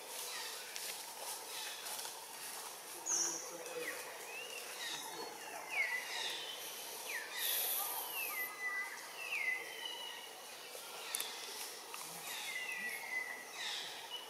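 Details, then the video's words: Baby macaque Anissa in a tantrum in Siem Reap Province, Cambodia, crying for milk after Anna puts her on the ground; repeated high, squealing cries that bend up and down, every one to three seconds, with faint speech and outdoor background. "Baby Monkey Anissa Crying Tantrum Request Milk But Anna No Care Put Her On the Ground"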